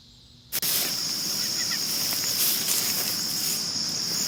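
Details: Night-time cricket chirping recorded in 2022. Near-silence gives way after a click to a loud, continuous, shrill ringing trill on one high pitch, with a light hiss of background noise.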